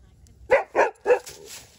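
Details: Dogs at play, a rescued dog named Bella with Meadow, a Mini Australian Shepherd puppy: three sharp, evenly spaced barks in quick succession, each short and mid-pitched, followed by a faint trailing yelp.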